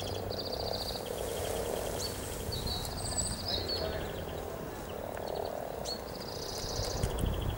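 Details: Frogs gathered in their hundreds to mate near Cow Tower by the river in Norwich on 7 April 2013 give a continuous purring, croaking chorus that swells and fades in waves, while songbirds trill high overhead.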